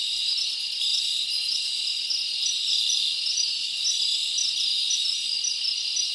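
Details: Nighttime summer forest chorus of crickets: high, continuous overlapping chirps and trills at an even level, with occasional sharper pulses standing out, no other animals or noises.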